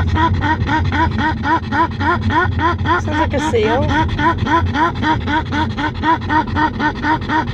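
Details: Grimley the pug, cool in an air-conditioned car but very excited, keeps up rapid looping seal-like yelps about four a second, with one longer wavering cry midway; low car hum throughout.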